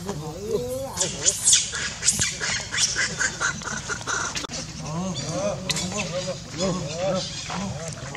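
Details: Baby monkey named Leo, feeding on milk from its mother, gives repeated high, arched, harmonic whimpering cries in short bursts, with rustling and other noisy background sounds throughout.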